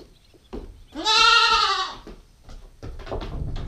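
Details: Female Nubian goat kid aged 9 weeks giving one strong, nasal, rising-then-level bleat of about a second, surrounded by soft rustling, thumps and shuffling noises.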